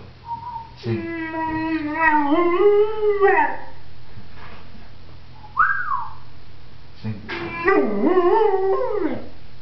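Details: Leo, a pet pointer dog, sings on his owner's cue: two long harmonic howls, the first steady then sliding down, the second wavering and rising, with a short whine between them.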